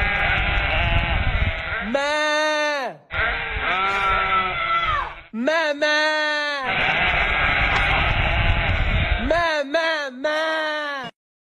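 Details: Several long, quavering sheep bleats alternating with stretches of broad noisy hiss, each bleat rising then holding steady, the last few coming in quick succession.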